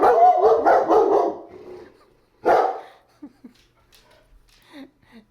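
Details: German Shepherd barking in reaction to mail and parcel delivery drivers; a burst of rapid loud barks, a single bark after a pause, then quieter short sounds and a man speaking.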